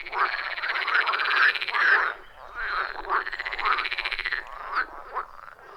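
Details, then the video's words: Frogs croaking together around a wild forest pond, iPhone 14 Pro and Shure MV88+ recording; fast pulsed, trilling croaks repeating rapidly in overlapping bursts, loud and rhythmic with short dips between bouts. "Frog Sounds at a Forest Pond"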